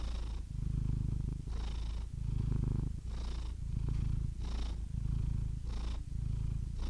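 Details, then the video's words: A cat purrs with a deep, even vibration, pulsing in about six breath cycles. Each inhale and exhale makes a slight change in the rumble, and a light whoosh of air marks the turns. "purring cat"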